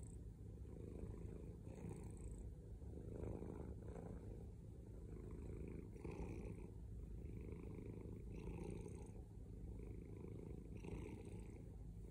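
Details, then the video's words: Male domestic cat giving a loud, rumbling purr, low and throbbing, rising and falling in regular breath cycles every two seconds or so, recorded up close without background noise. "Loudest cat purring"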